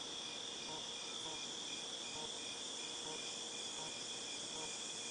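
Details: Cicadas recorded in August 2018 form a dense, steady, high hissing drone without pause, while a fainter, lower chirping pulse repeats quickly beneath it.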